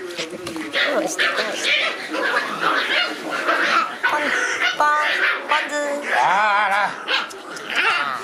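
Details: Shiba Inu puppies playing noisily outdoors: high, wavering whimpers and short yelping whines rise and fall in bursts, clearest near the end, over steady people's chatter and talking throughout.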